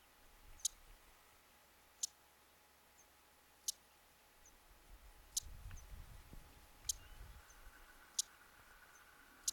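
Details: Mongolian marmot calling in the Khan Khukhii mountains of Mongolia, 31 July 2010. A series of about seven sharp, high chirps repeated roughly every one and a half seconds, with faint low rustling in between.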